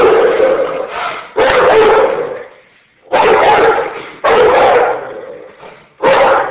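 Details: Rottweiler Buddha, about one year old, guards the house with heavy, loud barks delivered in separate bursts roughly every one to two seconds, each burst trailing off before the next.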